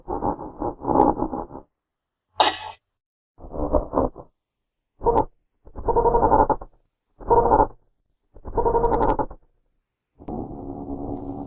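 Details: In its natural habitat, a genet gives a series of rough, buzzy grunting bursts roughly every second, one sharp scratchy crack among them, with abrupt silences between.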